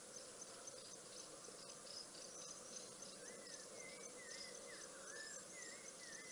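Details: African wild dogs at Rosie's Pan, Balule Nature Reserve, South Africa, on a webcam, September 6, 2021; a run of high, arched chirps rising and falling in quick succession over a dense, steady insect chorus.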